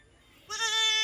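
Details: Osmanabadi goat at a Shirdi goat farm, a sudden bleat breaking out of near silence, rich in harmonics, rising slightly and then holding level and steady.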